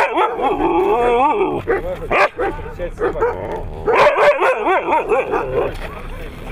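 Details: Siberian Husky at competitions held in Nizhny Novgorod on 3 February 2017, giving a long wavering, yodelling howl that bends up and down in pitch, with short breaks and a second rising, wobbling run near the end.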